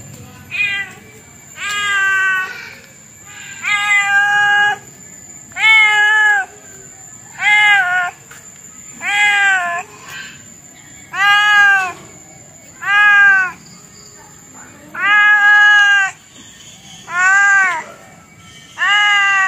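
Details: Insistent cat repeating loud meows about every one and a half seconds, eleven calls in a row, each a short arched wail, with a steady thin high tone behind.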